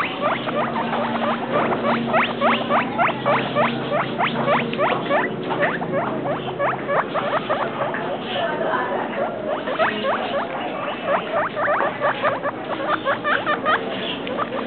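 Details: Pet guinea pig kept for two weeks and three days, giving a long, rapid run of high squeaky whistles that sweep sharply upward, about three per second with uneven spacing, over a low murmur in the room.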